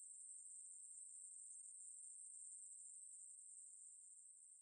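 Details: Continuous shrill buzzing song of a Ruspolia katydid (maebuori), very high and even, fading slightly toward the end; no other sounds.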